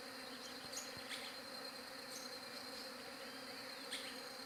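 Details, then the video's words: Bees captured on a Galaxy J7 Prime 2 phone, humming in a constant, layered buzz that never lets up, with light bird chirps popping in every second or so. "SOM DE ABELHA"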